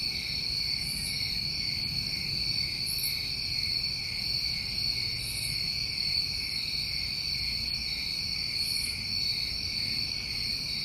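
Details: Crickets of a New England summer in a dense, steady chorus of several continuous high trilling bands at different pitches, with brief higher buzzy bursts recurring every couple of seconds above them.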